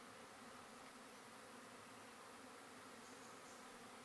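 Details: Colony of Russian honey bees at night, 20 April 2012, moved by car from a small Melbourne garden to a paddock at Apollo Bay; a continuous even drone with steady low tonal bands throughout, no breaks.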